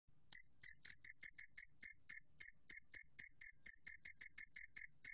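A two-spotted cricket calls with a fast, steady run of short, bright, ringing chirps.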